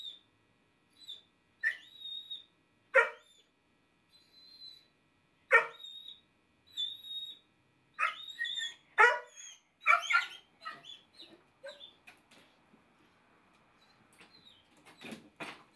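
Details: Pet Basset Hound named Stinky, fitted with a no-bark collar, lets out single barks spaced a second or two apart, mixed with high-pitched whines, then a quicker run of softer yips near the end.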